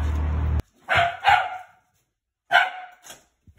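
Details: Shiba Inu greeting its owner on arrival home, a lively welcome of sharp barks in two quick pairs about a second and a half apart, separated by a silent pause, after a brief burst of noise at the start.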